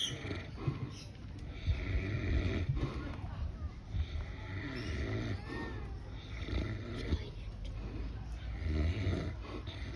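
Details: Pig snoring at Swan Valley Cuddly Farm in Perth: low, rough rumbling breaths repeating through the recording, with human voices talking in the background.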